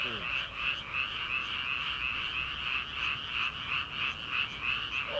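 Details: A rice-paddy frog chorus on an early-summer night before transplanting: rapid, rhythmic pulsing croaks from many frogs, rising and falling roughly three times a second, with a brief lower call at the start and end.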